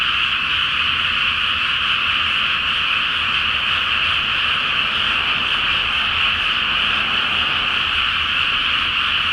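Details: Loud frog chorus rising from a rice paddy filled with water before planting, recorded at night by full moonlight; dense, ceaseless high croaking from a multitude of frogs, evenly sustained.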